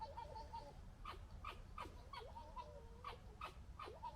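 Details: Foxes gekkering and establishing pecking order during fighting, 2021: a faint series of short, high, downward-slurred yelps repeated roughly every half second over a low background rumble.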